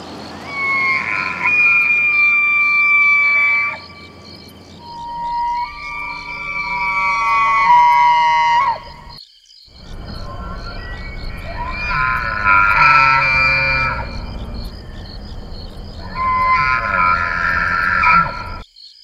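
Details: Bull elk bugle during the September rutting season, long high whistling calls rising and sliding down, repeated in bouts.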